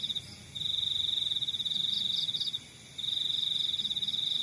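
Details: Countryside crickets trilling: two long, even, high buzzing trills, the first running almost two seconds, a short silence between them, and softer pulsed chirps from another cricket above.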